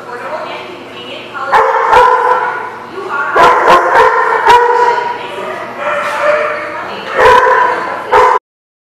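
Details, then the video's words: Dogs bark in overlapping bursts at a lot recorded on 13 May 2016, with yips and whines among the barking and a steady background chorus until the sound cuts off abruptly near the end. "The Barking Lot"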